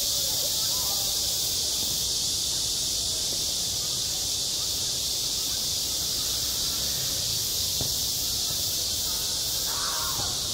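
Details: On a school playground in high summer, cicadas keep up a steady, piercing, hiss-like drone, while brief faint calls or voices surface in the lower range, most noticeably near the end.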